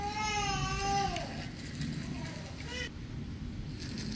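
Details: Domestic cat, scared of a spider yet playing with it, gives a loud harmonic meow that holds steady then slides downward over about a second, followed by a brief, fainter second call; low background rumble throughout.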